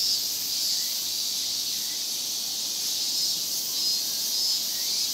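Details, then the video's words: Japanese cicadas in a Japanese summer chorus (semishigure), an unbroken shrill hiss of many insects holding steady at high pitch for the whole stretch, with brief whistle-like tones riding on top. "Big chorus of Japanese cicadas.日本の夏の蝉しぐれ"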